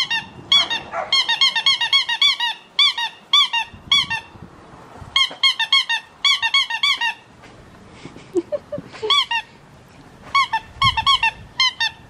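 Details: Australian Shepherd puppy, a blue merle male four and a half weeks old, crying indoors: rapid bursts of high, squeaky whines with falling pitch, repeated in clusters, pausing briefly midway, with faint handling noise.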